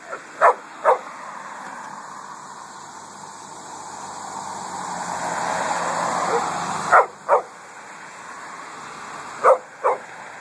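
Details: Pet dog Coffey barks at vehicles during a hot August walk through a cemetery: two quick pairs of sharp barks at the start and end, with a car passing loudly in between.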